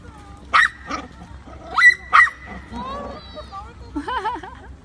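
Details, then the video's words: A dog barks at a friendly ostrich: three sharp, loud barks, one alone then a quick pair, followed by wavering whiny sounds, with human voices in the background. "Barking at an Ostrich"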